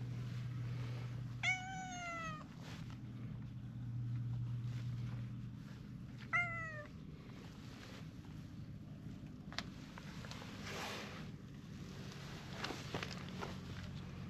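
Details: Stray cats gathering around in a crowd, two clear meows with stacked harmonics, the first near 1.5 seconds and the second near 6.5 seconds, each falling slightly in pitch, over a steady low hum and soft rustling.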